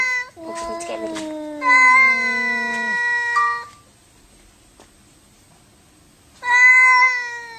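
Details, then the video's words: Domestic cat, angry and fighting, voicing sustained harmonic wails that sag slowly in pitch, with a brief higher yowl breaking off near three seconds and another bout resuming after a pause. "FUNNY CRAZY CAT SAY WOW 2015 2016 fighting angry boxing"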